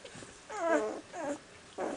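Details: Six-day-old puppies from the litter of a mother dog named Iska, indoors: two drawn-out, wavering whimpers, the first longer and rising then falling, the second shorter, followed by the start of a third whine.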